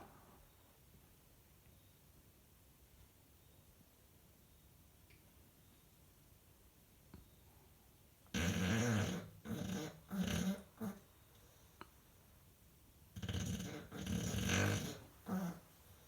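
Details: Five-year-old English Bulldog asleep indoors, snoring loudly: after a quiet stretch, rough rasping snores come in bursts of about a second each, a cluster of four, a pause, then three more, harsh and broadband like a pneumatic drill.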